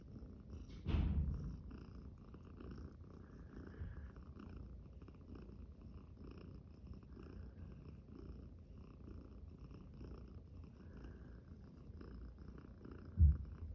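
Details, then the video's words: Five-day-old champagne cream tabby kitten among playing, yawning littermates: a steady low purring rumble runs throughout, with a brief bump at the start and a soft knock near the end. "Cute kittens yawning, playing and making cute sounds"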